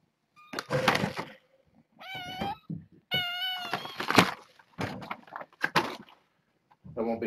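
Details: Young kittens, a litter of six born August 29 and now in a foster home, kept indoors behind a fence; two clear, high, drawn-out harmonic meows mixed with a man's speech and thumps in a small room.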